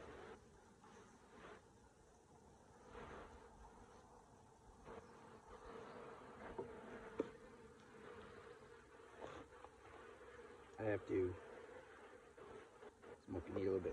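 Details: Honey bees at their hive, buzzing while the beekeeper scrapes the hive and applies smoke: a steady low hum throughout, broken by scraping and handling clicks and knocks that grow louder toward the end.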